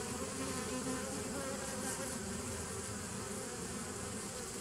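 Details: Unbroken buzzing of many honey bees, dated 27 September 2018, a low steady drone with a wide hiss on top, fading only slightly toward the end.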